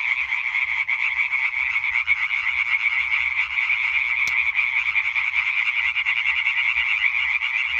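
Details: European tree frogs in a dense calling chorus recorded 20 May 2023: rapid, continuous rattling croaks overlapping into a steady wall of sound, with a faint click near the middle and no other clear sounds.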